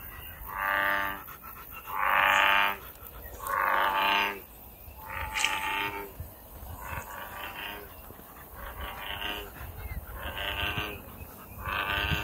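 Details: American bullfrog calling in nature: three strong, moaning, harmonic croaks about every one and a half seconds, then several softer, shorter croaks trailing off, over a faint high background whine.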